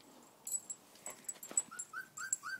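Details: Purebred American Bulldog puppies from a new litter whimper in a short series of thin, rising, whistly cries, each under half a second, amid soft clicks, rustling and quiet human voices.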